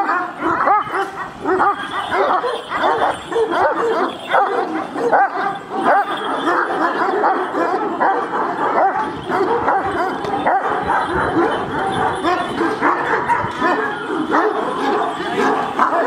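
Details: Big Kangal dogs in an aggressive exchange, barking at one another in a steady, crowded stream of deep barks and yips, loud throughout and uneven in rhythm.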